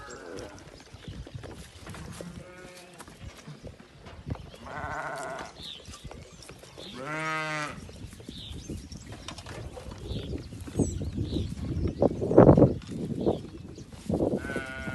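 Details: Farmed South African Boer goats calling repeatedly, several quavering bleats of varying pitch spread across the recording, one strong drawn-out cry in the middle, with thumps and shuffling noises between.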